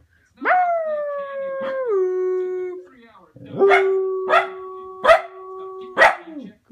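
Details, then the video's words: A male Cardigan Welsh Corgi howls, "singing", in long, sustained tones broken by sharp yips and barks. "Howling corgi"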